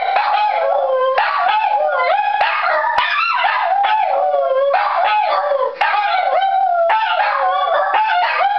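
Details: Two Shih Tzus, Pabu and Momo, howl in response to a fire siren: overlapping, wavering, sliding howls that rise and fall without pause through the whole stretch, loud and close.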